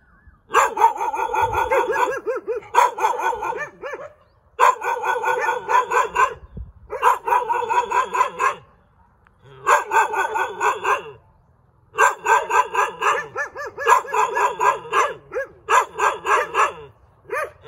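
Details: A cute dog barks nearly nonstop, firing strings of rapid, shrill yaps in bursts of about two seconds with brief breaks.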